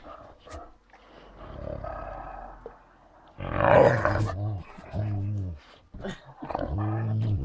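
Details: Great Danes Ole and Oline, pet dogs at home: low, drawn-out growling moans with stacked harmonic tones. A loud rough burst comes near the middle, then several shorter groaning growls follow. A human voice is heard at times.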